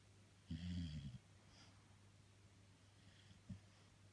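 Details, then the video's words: Jessie, a female Labrador Retriever, snoring in her sleep: one low, rough rumbling snore lasting over half a second, then a quiet short snort near the end, over a steady low indoor hum. "Лабрадорша Джесси храпит"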